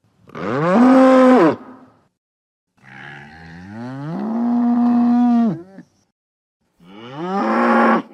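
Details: Bull moos three times: a short strong bellow, then a long rising-then-steady low moo of nearly three seconds, and a final moo cut off at the end.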